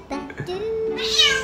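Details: A female Bengal cat gives a drawn-out, steady meow while rolling on the floor to beg her owner for food.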